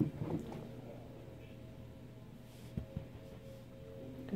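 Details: Low steady indoor hum with faint muffled voices and a couple of soft thumps, and no clear animal sound.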